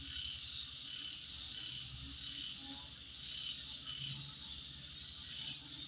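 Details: Dense, high-pitched insect chorus at midnight hisses steadily, with clearer trilled notes rising and falling in short bursts.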